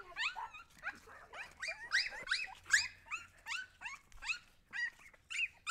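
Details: Several Husky puppies whimpering almost nonstop, with dense overlapping high squeals and rising yips, one after another, with little pause between them.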